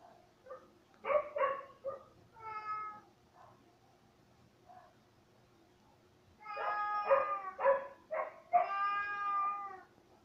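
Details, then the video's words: Indoor cat named Cay, jokingly dubbed a naughty little mountain lion, makes short chirpy meows, a pause, then a burst of loud, drawn-out meows near the end, crowded together and rising in strength. "Meow Meow Cay"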